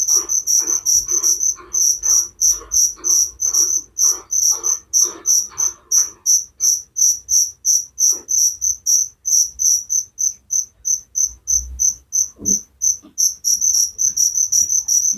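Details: Night-time cricket chirps for relaxation and sleep, sharp high pulses repeated roughly three per second; a lower grainy buzz accompanies the first six seconds, then the clean chirping continues alone with a faint thump near the end.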